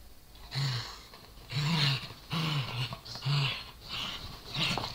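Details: A Corgi playing with a Dachshund over a toy gives short, deep, throaty growls. About five rumbling pulses come roughly every second, with breathy hiss above them.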